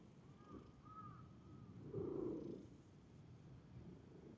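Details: A park stray cat approaching a familiar person lets out a brief, low mewing call midway, preceded by faint thin whistled tones over a constant low hum.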